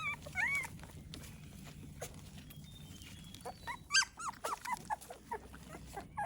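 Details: American Pit Bull Terrier puppies at their morning feeding, given a liquid of vitamins, calcium and minerals, with high, thin whines and short yips in arching, rising-and-falling squeals, clustering in a burst near the end, against a quiet background.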